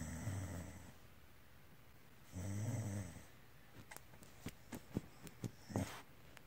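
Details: Pet dog giving a low purring rumble, a short burst at the start and a longer one midway, followed by scattered soft clicks and snuffles in a quiet room.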